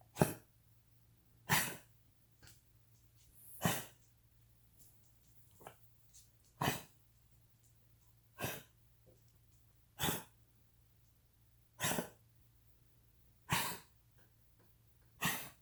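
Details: A Cavalier King Charles Spaniel coughs in harsh, hacking bursts, roughly every two seconds. He is diagnosed with degenerative valve disease, his enlarged heart presses on his trachea, and he has had on-and-off fluid in his lungs.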